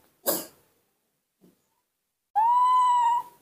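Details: A newborn baby monkey gives a clear, drawn-out tonal cry to call its mother, after a brief rough burst; it is refusing to drink its milk.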